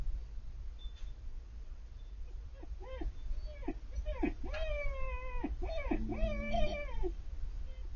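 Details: Female Siberian Husky puppy, about four months old, 'talking' when she sees Bandit, the older male dog across the street: drawn-out moaning whines that rise and bend, growing longer and fuller toward the end over steady low hum.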